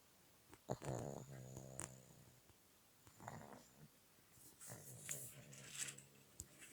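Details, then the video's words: Pug snoring at a pet hotel in Petrozavodsk, with a chihuahua also present: three rattling, buzzy snore bouts, each about a second long with a steady low drone, separated by quiet breathing, plus faint hissy exhales. "Мопс храпит"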